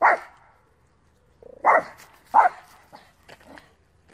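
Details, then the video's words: Small Terrier-Pug mix male from Romania, furious at a squirrel and unable to calm down: rapid harsh barks in quick succession, a short whimper before the second, then softer huffs and rustling, followed by a person speaking. "Boris sieht ein Eichhörnchen - kleiner lustiger Rüde rastet aus"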